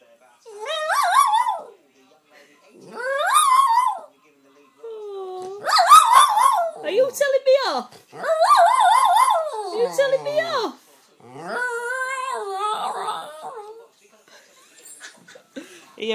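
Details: Pet jack russell terrier scolding its owner for her coffee with a series of warbling, grumbling whines and yowls of a second or two each, separated by brief pauses.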